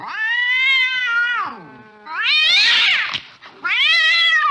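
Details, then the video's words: Cat late at night while chasing a mouse, giving long drawn-out wailing meows with rich harmonics, one falling away at the end, then a harsh rising cry and another sustained wavering yowl, with no other sounds. "tiếng mèo đuổi chuột trong đêm khuya"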